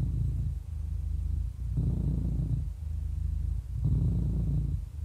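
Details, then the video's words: Domestic cat, 11 years old and happy, giving a deep rumbling purr; two louder, harsher breath phases alternate with quieter steady hum. "11 Years Old Happy Cat Purring"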